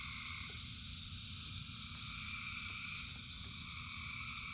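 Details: Many frogs singing together in rain: an unbroken, layered high droning chorus over steady low rain noise, with occasional sharp drops and ticks.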